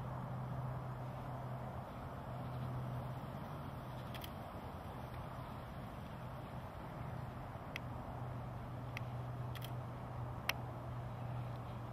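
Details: A steady low hum runs under faint outdoor noise, broken by a few sharp clicks, with no animal calls.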